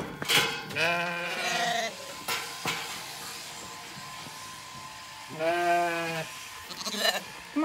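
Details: On an Irish regenerative farm in County Kilkenny, Zwartbles lambs bleat, failing to recognise their shorn mother. Two strong, rich, wavering bleats are separated by a few seconds, with clicks and rustling between them.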